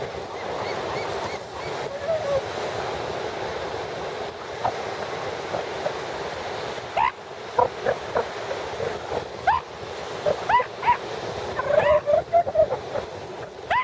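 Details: Northern elephant seal mother bonding with her newborn pup at Piedras Blancas Rookery, San Simeon, California, dated 1/5/13: short rising, wavering tonal cries in scattered bursts, clustering toward the end, over constant loud surf and wind.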